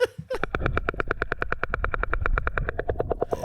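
Sperm whale clicks: a steady, rapid train of sharp knocks, about eight per second, like a woodpecker drumming on wood, over a low background rumble.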